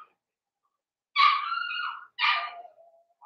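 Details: Indoors in their pen, blenheim Cavalier King Charles Spaniel puppies born around New Year's give a loud, wavering whining cry, then a shorter whimper that trails off downward, with quiet in between.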